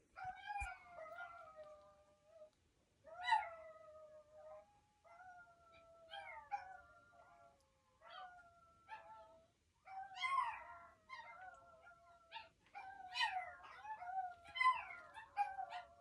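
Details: Chihuahuas howling together indoors: drawn-out, wavering, high-pitched tones in overlapping bursts of one to two seconds, some sliding downward, growing denser and louder toward the end.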